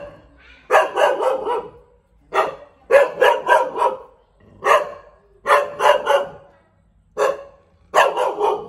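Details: Bangkaew, a Thai dog breed, gives bursts of rapid barking, several loud woofs run together in each burst, bursts recurring every second or two with brief silences between.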